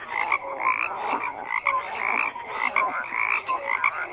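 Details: A crowded frog chorus of overlapping croaks, harsh bursts mixed with brief clear tonal notes, pulsing unevenly about once a second with no other sounds.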